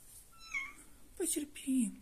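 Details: Female domestic cat in labour, giving birth indoors; short low cries sliding downward, a couple heard within two seconds, while a woman softly speaks Russian words of encouragement close by.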